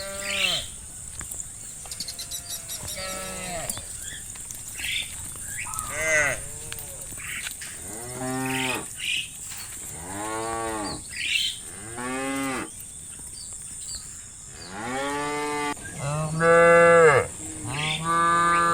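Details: Cows wandering pasture fields in late-afternoon light, calling to the herd to come home to the barn: many overlapping low moos, some rising to higher bawls, roughly every two seconds, with a steady high hiss behind.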